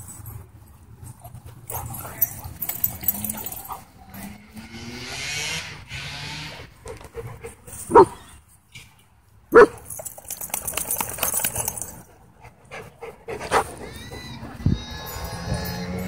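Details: German Shepherd at a dog park, pinned by a pitbull mix, crying for help: two sharp bark-like bursts midway, then high, drawn-out whining cries with rising tones near the end, over background voices.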